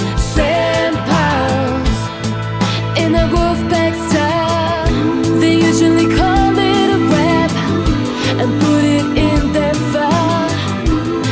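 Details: Upbeat pop music with singing and a steady beat plays throughout, with no animal sound heard.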